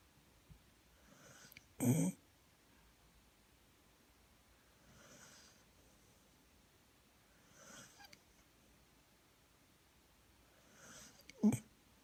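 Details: Poppy the dog asleep indoors on Christmas Eve, giving a sharp snort, soft wheezy breaths every few seconds, then another short snort near the end. The room is otherwise quiet.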